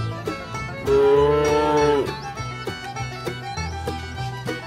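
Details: In a herd of tame village cattle grazing on a wide grassy pasture among trees, a cow gives a long, level, tuneful moo over a light backing of plucked-string music.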